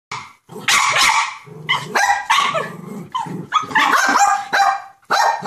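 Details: Six-month-old West Highland White Terrier on a deck after spotting a squirrel, giving harsh barks run together with rough growling in a near-continuous outburst.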